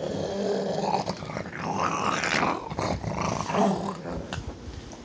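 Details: Pug growling while guarding its bone indoors, a continuous rough low rumble with rising and falling harsh bursts, unbroken for five seconds.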